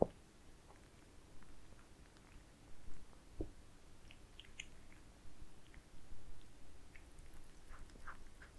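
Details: Pet cats eating towers of minced meat indoors, recorded for ASMR: soft wet chewing and smacking in scattered bursts, with brief sharper clicks and small bites breaking a quiet, low background.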